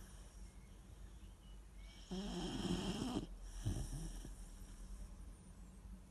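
A Weimaraner puppy snores, with a rough, rattling inhale and a softer breath after it.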